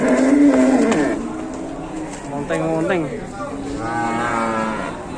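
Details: Aggressive cattle being unloaded from a truck in Indonesia give a loud, steady low moo for about a second, followed by shorter wavering, rising-and-falling bellows, with faint human voices in the background.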